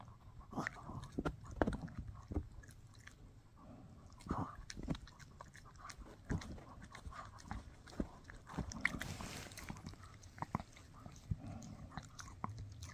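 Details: Shih Tzu puppy Mikki chewing a no-hide bully stick: sharp crunching bites and moist smacking in uneven bursts, several louder snaps near the start and a brief hissy rustle midway.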